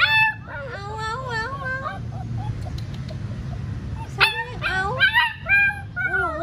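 Young Alaskan Malamutes howl in thin, quavering voices that slide up and down in pitch, with squeaky yips between attempts. A low steady hum runs underneath, and a person speaks briefly nearby.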